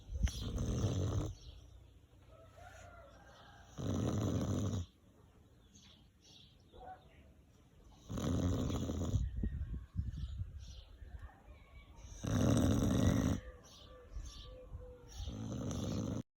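A Chow Chow snores in loud, rough bursts roughly every four seconds, with quiet breathing between.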